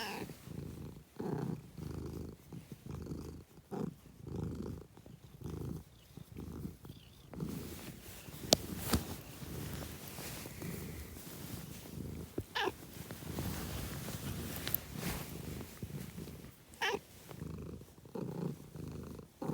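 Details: Rhythmic cat purring, about one breath-cycle every second, each phase a low buzzing rumble separated by short pauses. It later turns denser and noisier with scattered clicks and rustles.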